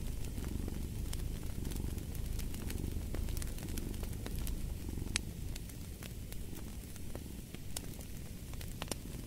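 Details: Domestic cat purring as a steady low rumble that swells and eases in slow breathing cycles, set against sharp pops and crackles from a burning fireplace.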